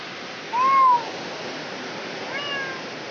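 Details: Cat giving birth: one clear, arching meow rising then falling over half a second, followed by a much fainter second meow near the end, over steady hissing background noise.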